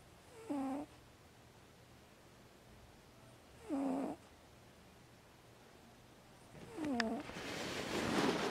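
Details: Pumpkin, a female pet housecat napping with one eye not fully shut, gives three nasal, voiced snore-like sounds, each roughly half a second long with a slight downward sweep, spaced about three seconds apart; a soft rustle follows the last.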